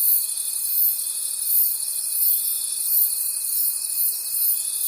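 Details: Night-forest crickets produce a bright, dense, ringing trill pulsing in soft waves about every three-quarters of a second, layered over a steady, unbroken tone throughout.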